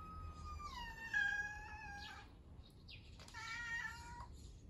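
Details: Pet cat indoors, at ease while a child eats pancakes, uttering two drawn-out meows: the first held level before sliding lower, a sharp click, then a second slightly lower, rich-toned cry lasting about a second.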